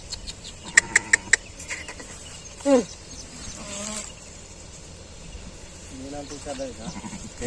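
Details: Wavering, tremulous bleats from a sheep that bore a six-legged young, two or three drawn-out cries among people chatting, preceded by a quick run of sharp taps.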